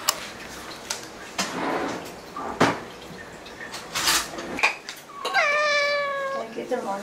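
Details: Ragdoll cat indoors at home, one of eleven Ragdolls in a household in Korea; after clicks and knocks, a single drawn-out meow with clear stacked harmonics, level then slightly falling, lasting about two seconds near the end.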